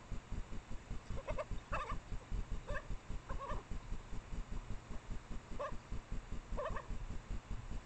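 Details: Yelping from a mating pair of Japanese badgers, female in heat with a male, hidden behind a trailcam by her sett in secondary woodland, late April around 1 AM: repeated brief nasal yelps in loose bursts above a constant throbbing low pulse.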